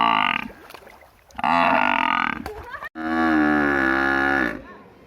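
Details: A village buffalo gives three deep, drawn-out moos, the last one the longest and steadiest.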